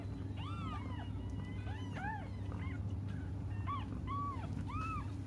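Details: Several young cats cry nonstop while waiting for their mother, a dense string of high arched mews following close on one another, over a continuous low hum.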